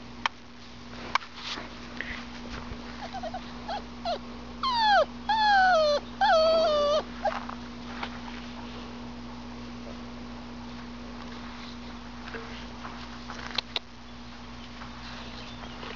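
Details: Labrador Retriever puppy, a maroon pup from the Siege/Stryker litter, during bird-retrieving training, praised as a good boy. A short run of high, curving whines, each falling in pitch, clusters in the middle, with faint clicks and low steady hum behind.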